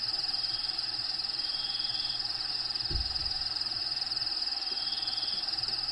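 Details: Cricket trill recorded inside a bearded dragon's vivarium at feeding time, natural habitat ambience behind; an even, rapid high buzz persists, with a soft low thump midway and faint low hum.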